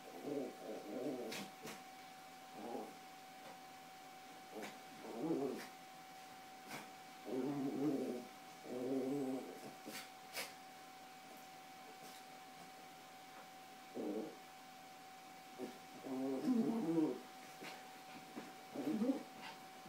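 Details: Carla and Paco, two Yorkshire Terriers, scuffle over toys on a bed, producing frequent short, gravelly growls and grumbles, irregularly spaced, with faint clicks and thumps of movement between them.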